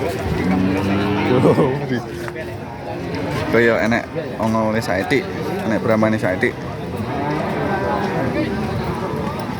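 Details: Cattle at a busy cattle market, Pasar Pahing in Nganjuk, East Java, Indonesia: several low, drawn-out moos with stacked harmonics amid crowd chatter and voices.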